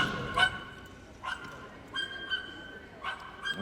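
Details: Excited dog barking in the background while waiting to run the small dogs agility course at the Crufts 2016 Kennel Club Novice Cup Final; short, sharp barks roughly every second, faint beneath arena hubbub.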